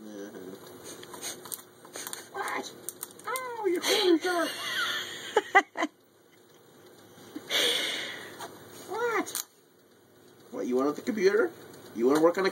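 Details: Katy, a spoiled Shih Tzu puppy, picks on her owner at his computer inside the house: clusters of high, curved yapping barks and whines in several bursts, a short quiet gap midway, a man speaking to her throughout.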